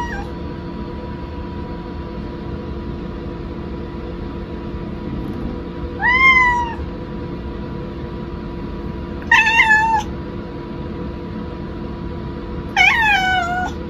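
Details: Pet cat meowing after its owner went to the rest room without it: three clear, rising-then-falling meows spaced about three seconds apart over a steady background hum.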